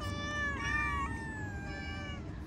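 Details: Domestic cat outdoors uttering a long drawn-out meow lasting over two seconds, rising then slowly falling and tapering off, over constant low-pitched background hum.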